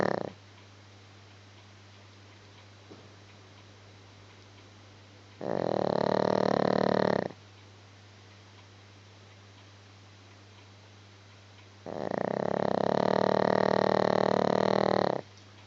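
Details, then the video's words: Gizmo the dog snoring in sleep: two long rattling snores about six seconds apart, each near two seconds of vibrating, pulsed breath, with low steady hum in the quiet between. "Gizmo snoring"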